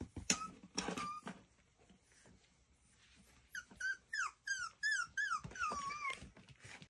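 Miniature Schnauzer puppies giving high, whining yips and squeals in quick bursts.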